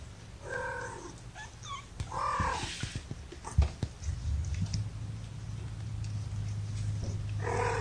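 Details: Kittens in a lap, part of Gamora's five-kitten litter born April 14 at a no-kill foster rescue north of Seattle, Washington, May 2018: short tonal mews at the start and end, with handling rustles and a steady low hum between.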